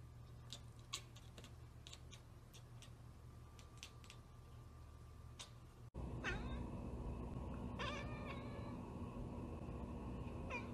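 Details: A cat (Felis catus) chatters in rapid, clicking bursts, a stuttering 'kekeke' of short broken notes, an excited response to spotting prey such as a bird or insect it cannot reach.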